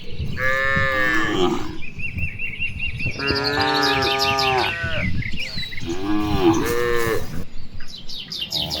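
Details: Dozens of cattle grazing in open rice fields in the afternoon, answering each other with long, rich moos, some rising then falling, several overlapping, over constant high bird chirps and a low rustling background.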